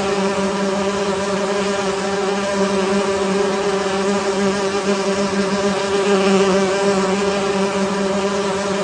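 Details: Steady, full buzzing of honey bees massed in a beehive, an unbroken droning hum with layered harmonic overtones and slight wavering throughout.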